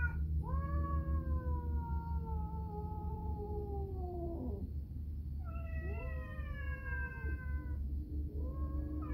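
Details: Pair of house cats calling back and forth indoors during food preparation, three long wailing meows, the first sliding steadily down, the next wavering and falling, another starting at the end, with a constant low hum beneath.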